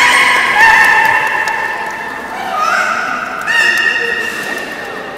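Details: During the 13:30 public training at Port of Nagoya Public Aquarium on 18 July 2016, belugas give steady harmonic whistles, some with short upward glides, in a few separate bursts beneath background talking in a big indoor hall.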